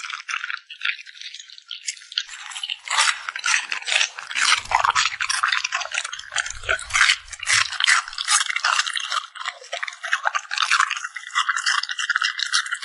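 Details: Puppy eating a meal: rapid, dense run of crisp smacking and crunching clicks, nearly continuous and irregular, growing busier after a few seconds, with a faint steady high tone in the final seconds.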